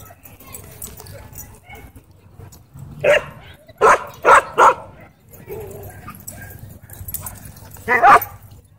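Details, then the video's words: Threatening a man at a dog park, a wolfdog gives a single bark, then a rapid run of three loud barks, and one more bark a few seconds later, over faint voices and ambient park noise. "Racist Wolf Dog Threatens Man At Dog Park"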